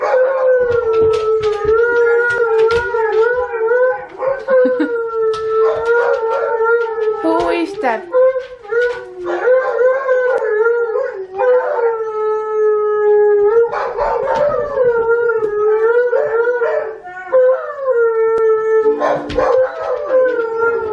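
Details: Pet Siberian Huskies watching Tonka the Malamute on TV howl along with him; a string of long level howls with short wavering swoops and pauses between phrases, several voices overlapping at times.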